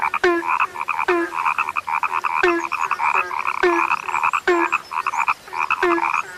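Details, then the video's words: Rare frogs croaking together: clipped low knocks start each round of buzzy, rattling pulses, roughly once a second, with several callers overlapping into a steady din. "SUARA KATAK YANG SUDAH LANGKA"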